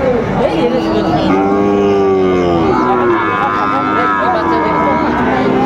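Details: Sahiwal bull calves at Raniganj cattle market in Comilla, Bangladesh, on Thursday, 19 September 2024. One long, steady lowing moo lasts about a second and a half and sags at the end, amid crowd chatter and bargaining voices.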